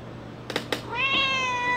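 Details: Bean, a female pet cat, indoors on a day of very heavy rain that set her meowing at the door; two soft taps, then one long, steady, drawn-out meow held for nearly a second.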